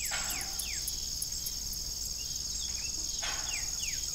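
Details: High, unbroken cricket trilling in the evening at an old farm with a disused windmill, with short descending squeaks at the start and end and one broad creak near the close.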